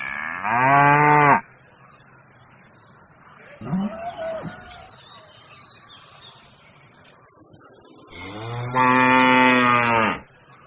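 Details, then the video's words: Large bull in Pakistan lowing: two long, deep, harmonic-rich moos about seven seconds apart, with a shorter, rougher, rising call between them over a faint steady background. "Biggest Bull sound"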